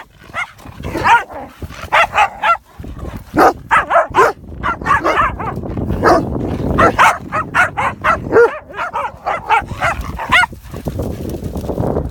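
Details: At a Championship dog show, the Komondor Rasta invites play with a steady run of sharp, high yipping barks, often several per second with brief pauses, against low crowd rumble while waiting for the Group judging.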